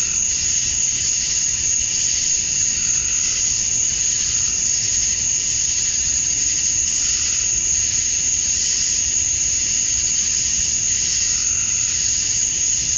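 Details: Male cicadas chirping to attract females at dusk on a summer night in Georgia, USA: a steady, shrill, high-pitched drone that never breaks, with softer pulsing layers beneath, and no other clear sounds.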